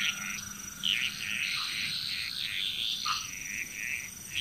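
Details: Several frogs croaking together in Bali, Indonesia, short rounded notes repeated rapidly in an uneven stream, with a thin continuous high tone above.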